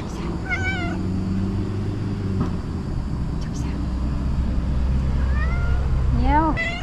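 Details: Domestic cat, female, asking for food with meows and trills; a brief harmonic meow near the start, then several rising, slurred meows and a trill toward the end, over a steady low rumble and faint human voice.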